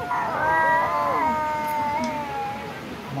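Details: A village kitten eating raw chicken meat gives a long, drawn-out meow that holds a steady tone and then slowly falls, with a person talking over it.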